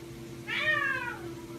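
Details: A male Egyptian Mau, happy after catching a rat, gives a single short meow that rises briefly, then slides down.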